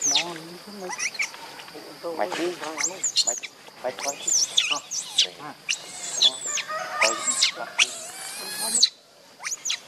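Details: Baby monkey named Leo crying for its absent mother: a dense run of shrill, rising and falling squeals and wavering whimpers, nearly continuous for about nine seconds before a brief quiet gap and one last squeak.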